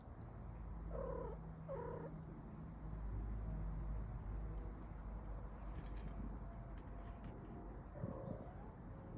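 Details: Pet cat Star giving two short, soft chirping meows about a second apart, then a faint final call much later, against steady low background rumble and some rustling.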